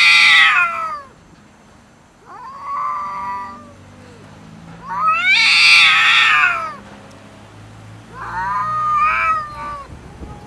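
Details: Cats fighting over food, refusing to share with another cat: four loud, harsh caterwauling bursts spaced about two to three seconds apart, some wavering and noisy, with quieter harmonic moans between them.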